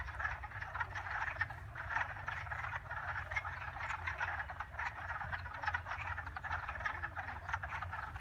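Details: Many frogs calling at once in a continuous, rattling croak chorus with rapid overlapping pulses and no pauses, backed by a low steady hum.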